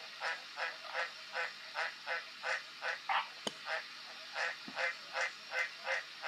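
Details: Steady series of green tree frog croaks, one roughly every 0.4 seconds, each a short honking note, interrupted once by a sharp click.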